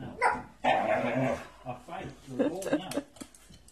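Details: Waiting eagerly for a walk, Hank, a one-year-old Staffordshire bull terrier, lets out loud harsh barking yelps and groans in a small room. A man's voice talks alongside him.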